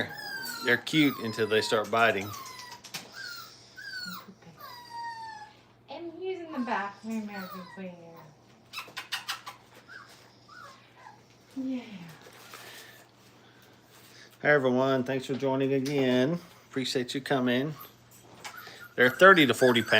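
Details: Brittany puppies, five weeks old, crate training in a kennel, make thin high whines that slide downward, scattered yips, and a few louder bursts of overlapping cries toward the end.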